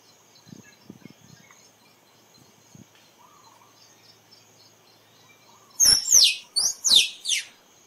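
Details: Squirrel calling, recorded for use in photography: after quiet background with soft ticks and a faint hum, a burst of loud, sharp, high calls sweeping downward, given in quick pairs over the final two seconds.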